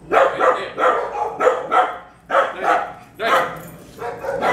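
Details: Repeated barking, roughly one bark per second in uneven pairs and clusters, from dogs close to a three-year-old Bulldog mix named Waylon during obedience training; a trainer's voice is faint in the background.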